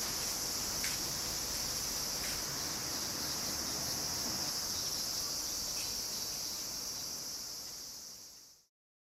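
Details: Cicadas calling loudly in summer in suburban Tokyo, Japan, in August: an unbroken, hissing high-pitched drone over soft outdoor background, gradually fading away over about nine seconds.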